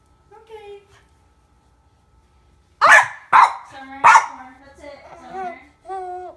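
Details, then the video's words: Household dog with a baby: after quiet cooing speech, three forceful, sharp barks come about half a second to a second apart, then gentle adult chatter resumes. "barking doggy"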